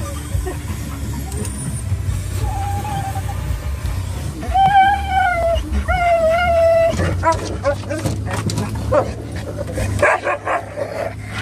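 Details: Pet dogs in the back of an SUV nearing PetSmart, excited, letting out a few drawn-out whines and short yelps midway, with vehicle rumble and voices around them.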